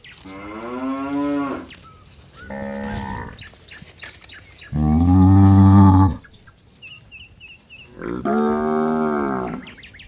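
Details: Calf searching for its mother among cattle in a waterlogged paddy: four harmonic moos, the third deep and loudest, with a brief high bird chirp in a gap.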